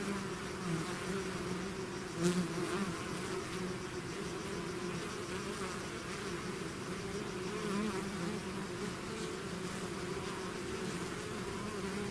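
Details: Bees swarming out of the hive give a continuous, even drone of overlapping wingbeats, low and humming throughout, with a couple of nearer insects briefly swelling the sound near two and eight seconds.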